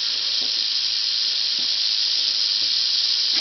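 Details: Angry captive Southern Pacific rattlesnake, a female caught near Whitewater, California, after sunset at about 85 °F; a sustained, sizzling rattle buzz continues throughout, with soft intermittent knocks and murmurs beneath.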